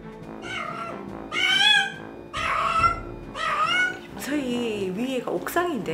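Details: Stranded domestic cat crying from the roof of a 22-storey apartment block where it had been trapped for months: three long wailing meows in a row, followed by a person talking.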